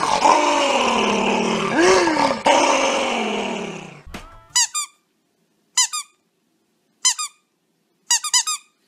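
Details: Pet dog making a sustained moaning growl that swoops up and down in pitch for about four seconds, followed by short bursts of sharp high squeaks in small clusters.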